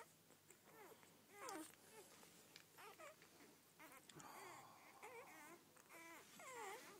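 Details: Rhodesian Ridgeback puppies from a first litter of twelve whining and squeaking in a cluster of wavering, rising-and-falling cries, with some rustling and a possible human voice in the background.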